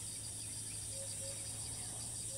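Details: Thai cicada that flies off and resumes calling as soon as it lands, filmed on a tree; constant shrill pulsing drone, with faint brief tonal notes now and then underneath.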